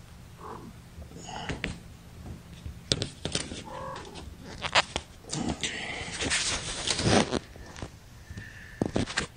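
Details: Young kittens from a litter of five, born April 14th to mother cat Gamora, mewing while held in a lap during a May 10, 2018 broadcast: short high wavering cries mixed with rustling, handling clatter and scattered human voices.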